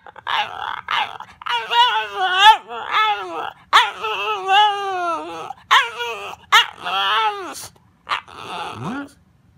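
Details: Pet dog 'talking': a run of wavering, whining, yodel-like vocal phrases, each rising and falling in pitch, about a dozen short bursts separated by brief pauses, ending in a low rising moan; faint human voice nearby.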